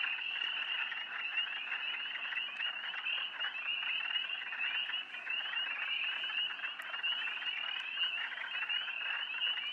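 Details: Spring peepers calling at night by a pond, a dense chorus of many high, rising peeps overlapping into a continuous shrill trill, with steady background hum.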